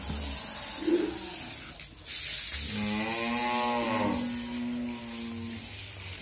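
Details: Heavily pregnant Friesian cow on a Bangladeshi family dairy farm in Bhangura, expecting her second calf, letting out a single sustained, steady, deep moo of about three seconds after a burst of hissing noise.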